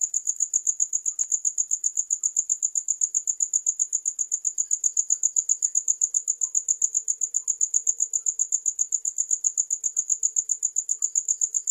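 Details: Cricket chirping in a rapid, very even stream of short high-pitched pulses, steady from start to finish with no pauses, faint low hum beneath, no other animals or voices.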